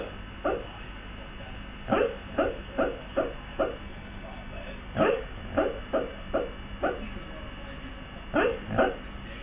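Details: A male Siberian husky barking in his sleep: about fifteen soft, muffled, low woofs in uneven bursts of two to four, with brief pauses between groups over a steady background hiss.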